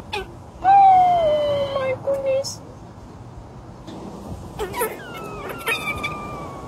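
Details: A mother squirrel and her daughter seem to harmonize in drawn-out, tonal, wailing cries that slide slowly downward, amid tensions in their group, while a human voice nearby soothes them.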